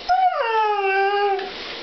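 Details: Indoor pet Siberian Husky, Demon, letting out a brief steady whining howl that steps down in pitch and then trails off, during a back-and-forth 'talk' with his owner.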